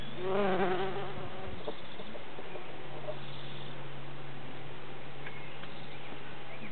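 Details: A bumblebee collecting nectar gives a low, steady droning buzz that wavers briefly in pitch before settling.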